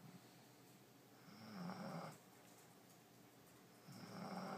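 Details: Asleep in her new bed, the French Bulldog Allie lets out two drawn-out, droning snores with a low nasal hum, separated by a quiet pause of about two seconds.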